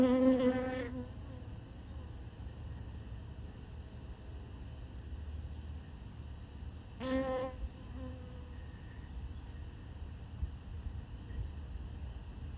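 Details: Honey bees drinking sugar water from a piece of honeycomb, more and more arriving until it gets crowded; a low steady hum of many wings, with two brief louder buzzes as single bees pass close.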